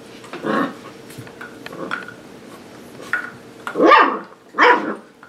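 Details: Playful seven-week-old puppies from Sparkle's litter romp on a play station, a soft yip first, then two loud, rough high-pitched barks close together near the end, with light knocking in between.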